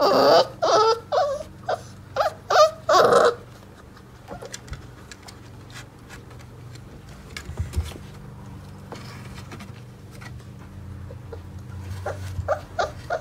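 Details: Four-week-old Mastiff puppies from a litter of eight waking up: a burst of high, wavering whimpers and squeals in quick succession over the first three seconds, then quieter rustling and shuffling with a steady low hum beneath.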